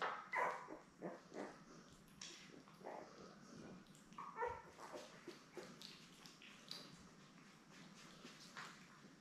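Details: Newborn Labrador Retriever puppies, seven born May 24, 2021, lying with their mother Belle on a live puppy cam on June 3. Many short whimpers and high yips tumble over one another in an uneven stream, with rustling movement between.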